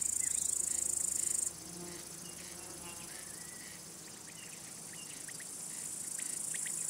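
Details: Stridulating male crickets, rubbing their elytra, sing to attract females, court, or warn other males. A loud, high, hissing trill stops sharply after a second and a half, then a softer steady shrill continues and swells.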